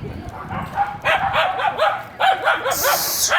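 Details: Another dog barking at a reactive dog during a training session, a big trigger for him; a quick run of about five sharp barks under a man's voice, with a short hiss near the end.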